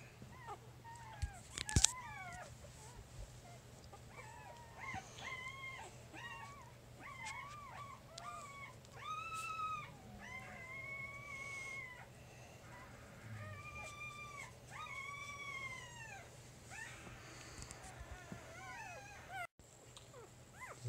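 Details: Three-day-old puppy from Jig's litter, handled while being described: a long run of high, arched whimpering squeals with harmonics, rising then falling, in bursts about every second, with a few sharp knocks and a steady low hum.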